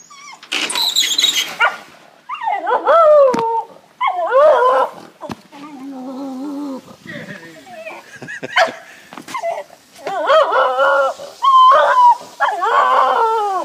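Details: A Jack Russell terrier x beagle cross, excited and wagging his tail, gives yelping barks and drawn-out bays at a beagle down the road, with a person talking between them.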